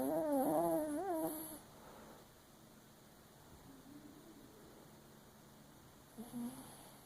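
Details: Sleeping Papillon Chihuahua, dreaming with one eye open, lets out one long quavering whine-like snore at the start, then faint soft breaths and a brief low murmur near the end in a quiet room.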